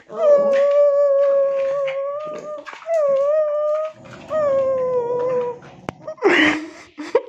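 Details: Tibetan Terrier indoors, holding long, steady, slightly wavering howls of one to two seconds each with rich overtones, then a short noisy burst near the end.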